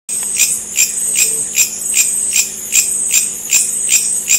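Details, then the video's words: Bush cricket, or long-horned grasshopper, giving its acoustic communication call: sharp, very high, hissing chirps repeated steadily about two and a half times per second, with a faint low hum underneath. "Acoustic Communication of Bush Cricket or Long Horned Grasshopper"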